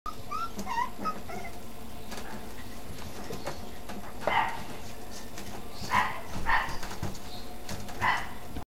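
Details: Male Maltese bichon, a dog from a pet shop and veterinary clinic, giving a few short, high-pitched yips spread over several seconds, with soft whines at the start and a steady background hum.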